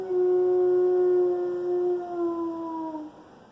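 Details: One-year-old Alaskan Malamute named Loki in his first howl: a single sustained tonal note held steady for about two seconds, then sliding lower and fading out.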